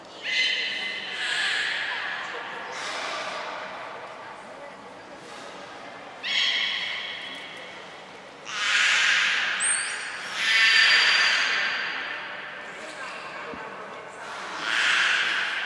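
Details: Training session with captive belugas Hodoi, Gray, Nana and Nico, Port of Nagoya Public Aquarium, June 5, 2021: a string of short nasal squeals with overtones alternating with breathy snort-like bursts, about six outbursts over fifteen seconds.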